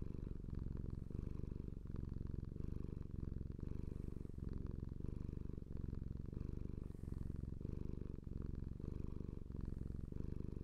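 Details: A pet cat purrs continuously, a low vibrating rumble that rises and eases in breath-paced waves roughly every second or so, close and even, with nothing else audible.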